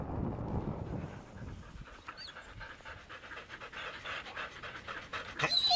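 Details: Samoyed panting to cool down during a 14-mile carting run in Minnesota on an unexpectedly warm day of 44F; quick breathy pants, roughly four per second, grow clearer after the first second, with a few brief high whistly squeaks near the end.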